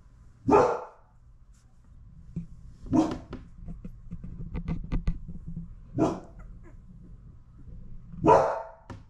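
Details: Mother Labradoodle with her newborn puppies, indoors; four loud, broad barks spaced roughly two to three seconds apart, with soft licking and shuffling noises between them.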